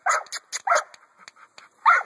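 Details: American Bully dog barking in short, sharp bursts, two quick barks then a pair more, a final loud bark closing the stretch; quiet gaps between, with faint background clicks.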